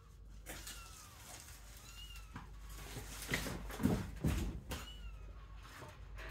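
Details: Kittens starting to leave their sibling pile to explore a playpen shared with sheep; thin, high mewing calls rise and fall in a few short bursts over a low rumble, with soft bumps and rustling around the middle.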